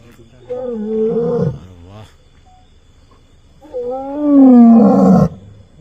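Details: Lion family sitting on the road from Morajar to Manavav near Dhari, Gujarat, late at night, a lion and lioness roaring to announce their presence; two drawn-out, moaning roar calls with a long pause between them.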